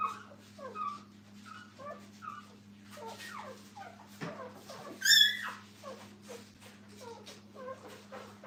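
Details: Puppies lying with their mother at a kennel make soft, scattered whimpers and small squeaks, then one sudden loud high squeal midway, over a faint continuous hum.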